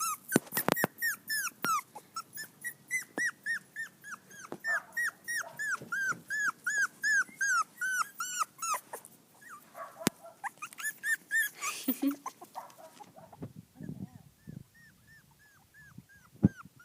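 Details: Five-week-old poodle-shih tzu mix puppies reacting to being on grass for the first time; rapid series of high, arched whimpering yelps, roughly three per second for about nine seconds, then softer scattered whines and rustling.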